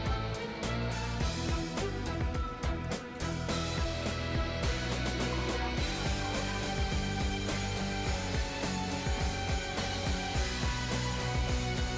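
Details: Quiet band music with guitar and a drum kit plays throughout, with no animal voice.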